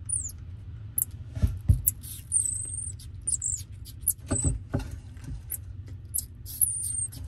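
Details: Pet common marmosets, the whole family eating apple together: irregular crunchy bites and clicks come in quick bursts, while thin, high whistled calls with a falling slide sound over a steady low hum.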